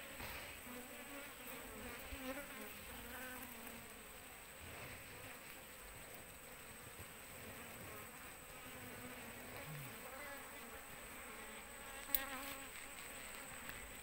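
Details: Asian honey bees (Apis cerana) swarming on an oil palm frond while the queen is searched for; a low, steady droning hum of many wings, with faint overlapping buzzes and a constant high whine in the background.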